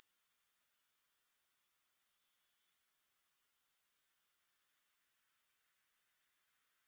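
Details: Rapid pulsing high-pitched buzz of grasshoppers, with no music, about four pulses a second. Midway it falls almost silent for under a second, then resumes quietly and strengthens toward the end.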